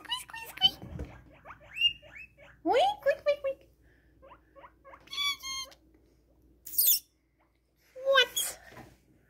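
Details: Excited guinea pigs give a run of loud, high, rising squeaks in short bursts.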